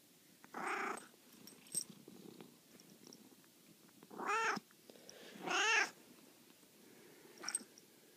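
A Maine Coon gives a few drawn-out, rising-and-falling meows to wake its owners.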